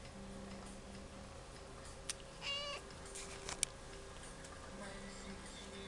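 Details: Mimi, a talkative cat at the Aicat cat café in Sendai, greeting with a single short, clear meow midway, set against a quiet indoor room with faint ticking and clicks.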